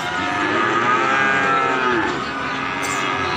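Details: Calf bawling while a nose rope is fitted: one long, loud, harmonic moo that rises slightly and then falls, lasting about two seconds, with a steady background hum and faint voices.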